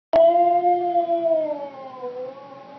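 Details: Siberian Husky wooing at a stuffed hippo toy: one sudden, drawn-out tonal woo that holds a steady pitch for about a second, then slides lower and fades over nearly three seconds.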